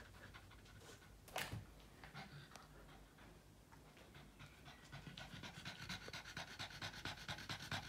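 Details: Tired Boston Terrier that is obsessed with its ball during a game of fetch: a single louder thump early on, then breathy panting that grows stronger and faster toward the end.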